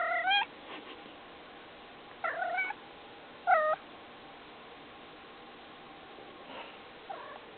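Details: Domestic cat making noise: three clear harmonic meows, the first and third short and rising, the middle one longer, with faint softer calls near the end against a quiet hiss.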